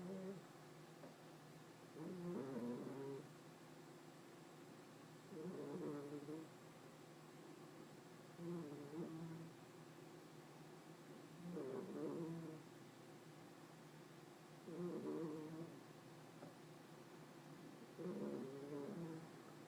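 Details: Female house cat in deep sleep indoors, snoring loudly: each rough, buzzy inhaled snore lasts about a second and recurs roughly every three seconds, steady and even, with quiet breathing between.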